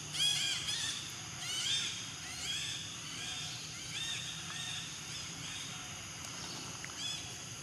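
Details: Infant monkey named Floran, living wild around Angkor Wat, calling to its mother Flora while asking for milk: a series of high, arched, harmonic whining cries, several close together, then spaced out, over low steady background rumble.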